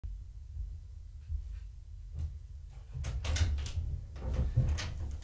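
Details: Low indoor hum with scattered knocks and clatters, like cupboards or doors, and no animal voice.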